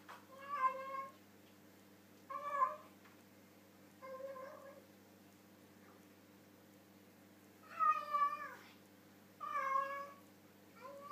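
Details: Harley, a pet cat, chatting while eating his dinner with his mouth full: five drawn-out, harmonic-rich meows in two bursts, roughly one every two seconds, over a steady low indoor hum.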